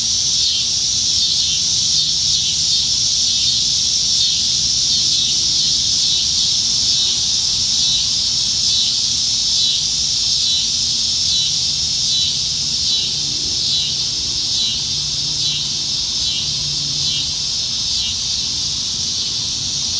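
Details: Many cicadas singing in the trees on a Nebraska summer evening, July 2019, at peak summer; a loud, dense buzz with quick rhythmic pulsing, about three or four beats a second, over faint low hum.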